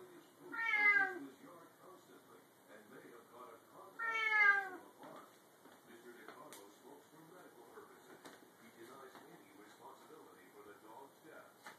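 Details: A Bengal cat that likes jumping onto the top of the pantry door when it opens gives two loud, harmonic meows about three seconds apart, each falling in pitch.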